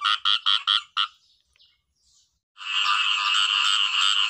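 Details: Thai khiat i-mo frog gives five quick raspy croaks, falls silent for over a second, then breaks into a sustained, unbroken buzzing trill.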